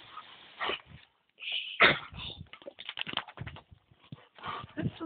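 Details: Two Dobermanns, Tyra aged two and her granddad Thunder aged seven, play with a garden hose on a very hot day; a high tonal whine and short excited yelps cut through bursts of hissing, splashing water.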